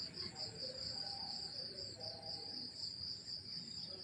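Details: Morning chorus of crickets in the countryside, a bright continuous stream of fast high-pitched pulses with no pauses, faint low murmuring underneath.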